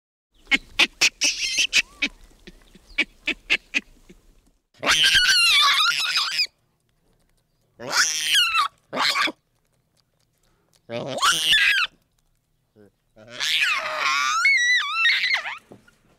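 A baboon gives quick clicking grunts, then loud, harsh screams in bursts.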